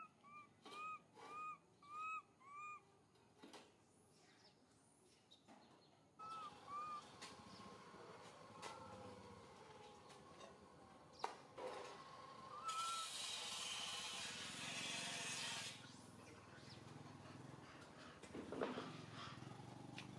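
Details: Young monkey MoMo calling its mother Malika in a park: a quick series of short, arched, whistled coos, about two per second, over the first six seconds. Rustling, clatter and a loud hissing burst of noise follow.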